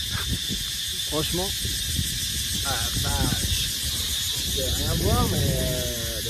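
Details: Cicadas in a park in Bangkok, Thailand, give a loud, steady, high-pitched buzz that never pauses, under a man speaking.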